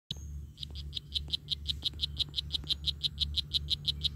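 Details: Strawberry poison dart frog calling: after a brief pause, a rapid series of short, buzzy chirps begins at a fairly high pitch, repeating about five times per second and holding steady, over a low background hum.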